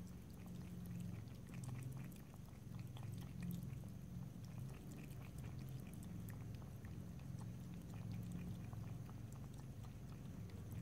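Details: Pet cat drinking water indoors, lapping and licking, with no talking: soft, irregular clicking ticks from the tongue scatter across the recording above a steady low droning hum.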